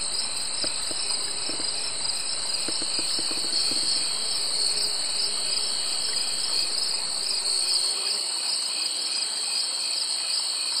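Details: High continuous droning of summer insects in two shrill bands, with scattered soft clicks and taps during the first few seconds.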